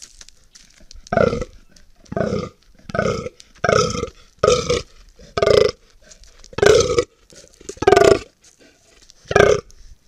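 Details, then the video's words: Fallow deer (Dama dama) giving the ronca, a guttural throat groan of the autumn mating season, in a dehesa of Sierra Morena, caught by trail camera on 1 October 2023. Nine deep, belching groans come roughly every second. "ronca del gamo"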